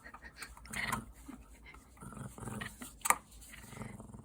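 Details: Pet puppy at home, growling indoors in a small room: low, rough rumbling bursts with a grainy harmonic texture, several pulses over a few seconds, then a sharp click near the end, with a person talking close by.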